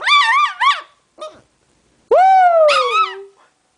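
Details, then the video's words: Pet dog singing along with its owner: quick warbling yips, a faint whimper, then a loud howl that leaps upward and trails off in a long descending slide. "Cute dog singing"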